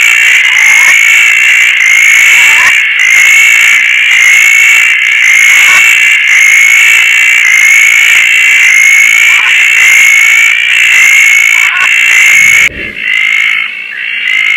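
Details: At night in Koah, after rain and in lush surroundings, Roth's tree frogs give a continuous, harsh, pulsing chorus at one bright pitch, about once a second, with a soft hiss of rain behind; the calling breaks off briefly near the end.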